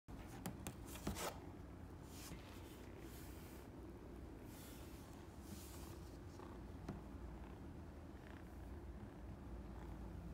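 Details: Scottish Fold kitten at a pet shop in Kuzuha, Kyoto, purring with a soft, steady low rumble throughout, broken by a few brief clicks and rustles of handling near the start.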